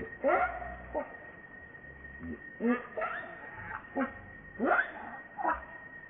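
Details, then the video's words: Hungry infant monkey RainBoww, begging its mother for milk, gives repeated short, quavering whimpers and squeals with sliding pitch, about one each second. A faint constant high-pitched tone hums in the background. "Baby Monkey RainBoww Asking Milk Mom"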